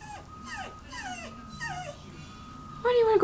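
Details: Welsh Terrier whining while being asked whether it wants to go to Grandma and Grandpa's: a run of high, falling whimpers, each sliding down in under half a second, roughly four per second. A steady electronic tone runs beneath, and a person speaks at the end.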